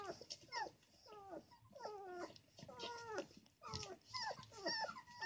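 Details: Angry puppy protesting while his mother occupies his favorite sleeping corner in the puppies' box; a run of high, bending whimpers and squeaky whines, some with short growly edges, repeated roughly twice a second indoors.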